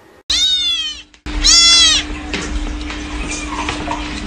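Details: Kittens constantly meowing: two loud, high-pitched, drawn-out meows in quick succession, the second sharply bent, followed by scuffling noise and a low steady hum.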